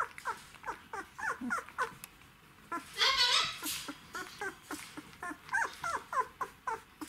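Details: Whimpering from Czechoslovakian Wolfdog puppies aged twelve days, Orizon and Rahan's litter, December 2020: a steady stream of brief high squeaks, roughly three per second, broken by one longer, louder rising whine midway.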